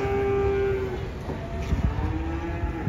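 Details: Angry banteng being unloaded from a truck, one of two animals, lets out a low drawn-out moo that fades after about a second, with background music and men calling warnings nearby.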